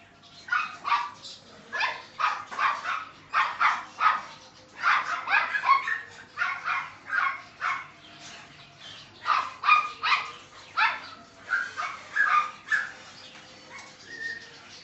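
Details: Seven-week-old male Neapolitan Mastiff puppy barking: a run of high, yappy barks, roughly two or three per second in bursts across the whole stretch, with brief pauses between volleys.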